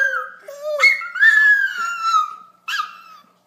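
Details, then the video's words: A pet dog 'singing' in a small room gives a short howled phrase: a low note, then a jump to a higher held tone that slowly falls. A brief yip closes it. "Dog can sing!!!!"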